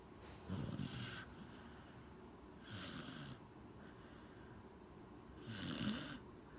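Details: Asleep and snoring, Corgi Gen-chan gives three breathy, rattling snores at steady intervals of about two and a half seconds, each lasting under a second.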